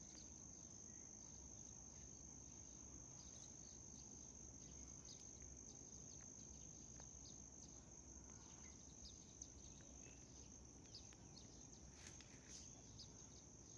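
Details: A white cricket's sustained, even high-pitched trill runs throughout, unchanging in pitch, while scattered faint ticks and a low, muffled background hum sit beneath it.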